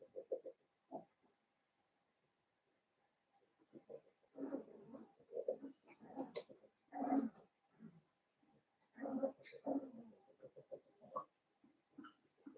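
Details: Blenheim Cavalier King Charles Spaniel puppies, a litter of five born on New Year's, in an indoor puppy pen at home; soft whining and grunting bursts in clusters, separated by short quiet gaps.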